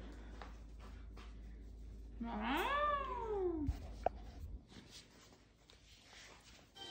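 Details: Basset Hound indoors at Easter, playing with a huge Mr. Peeps toy, gives a single drawn-out, whining howl lasting about a second and a half that rises, then slides down, among soft rustling and quiet voices.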